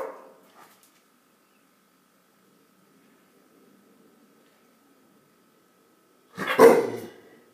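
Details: A Rottweiler in a friendly stand-off gives a single loud, deep bark after several seconds of near silence, then is praised as a good boy.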